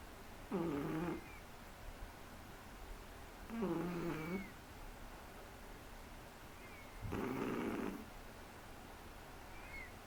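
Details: Three-month-old Shih Tzu puppy asleep and snoring indoors. Three rattling, nasal snore breaths arrive about every three seconds, each under a second long, often ending in a soft, high whistling squeak, with a quiet room between them.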